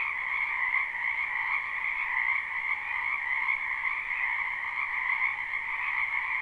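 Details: Frogs calling en masse in a spring wetland, live: a thick, ringing trill chorus with soft, irregular pulses in volume roughly once a second, the high and lower tones steady throughout, no other noise.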